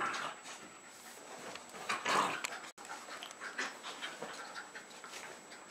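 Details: Young Jack Russell Terriers Jasper and Jaclyn, a little over three years old, at home in Lenexa, Johnson County, Kansas, late February 2011; quick breathy panting bursts, about four per second, with a louder rush midway and a brief cut.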